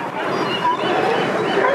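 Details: California sea lions from a large colony hauled out on rocks at the Port of Newport, central Oregon coast; a dense, harsh, overlapping chorus of barking, rising and falling continuously with no clear gaps between individual calls.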